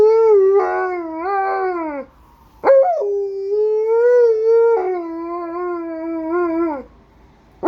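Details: Alaskan Malamute howling in three long, sustained, clear tonal howls. Each wavers gently in pitch and sags downward at its end. A sharp rising yelp falls between the first two, with near silence in the gaps.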